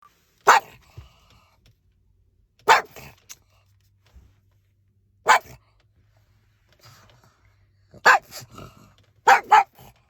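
A pug barks in short, sharp single yaps spaced a couple of seconds apart.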